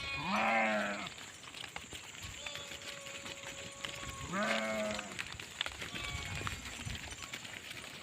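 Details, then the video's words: Sheep giving two low, wavering baas about four seconds apart, with a steady faint tone and background hiss between them. "SHEEP SOUNDS FOR KIDS - Learn Baaing, Bleating, Yelling, Screaming and Meh Sound Effects of Sheep"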